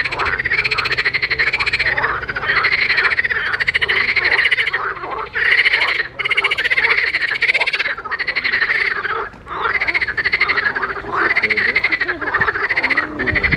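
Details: Frogs in a pond giving a dense chorus of rapid pulsed croaks with a ringing, slightly rising tone, calls repeated almost continuously with short pauses.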